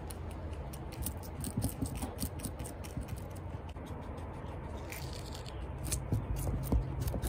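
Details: Celery being chewed by pet guinea pigs Toffee and Chia, recorded close for ASMR: rapid, dense crunching and snipping bites, several each second, growing louder near the end.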